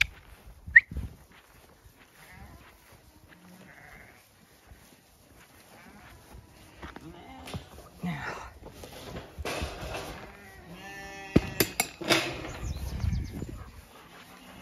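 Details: Zwartbles ram lambs on a regenerative farm in County Kilkenny, Ireland, bleating as they are moved out after separation from the ewe lambs; scattered wavering bleats mixed with a woman's voice urging them on, a clank and rustling.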